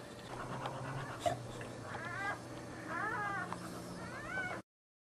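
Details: During a standing birth at home in Hong Lim, a dog gives a run of high, wavering whimpers, each sliding up and down, three separate cries over a low household hum before abrupt silence.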